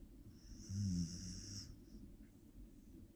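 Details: Australian Shepherd (Aussie) sleeping like an old man, snoring heavily and twitching in sleep: a deep, rumbling snore swelling to a peak around one second with a breathy hiss above, then fading into slow, low breathing.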